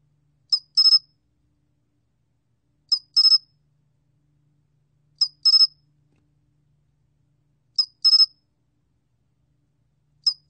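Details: National Institute of Biological Resources 2020 recording of the 솔귀뚜라미 cricket: high, thin chirps in pairs, a lone pulse leading a three-pulse burst, repeated steadily about every two and a half seconds in a quiet setting.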